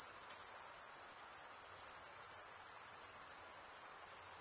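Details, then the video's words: A bright, even cricket chorus: males stridulate with their wings, producing a fast, buzzy, high trill that never stops, over a faint low hiss. "Most relaxing cricket sound"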